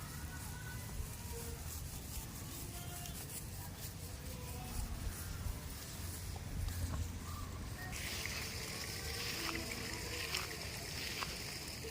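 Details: Low rumbling engine or water noise with faint background sounds and no clear animal voice. A brighter hiss enters partway through, but nothing stands out as an animal call.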